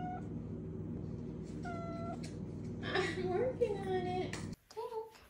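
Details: A 5-month-old female Maine Coon kitten, around feeding time, gives short, tonal meows and a wavering, chirping trill over a steady low hum.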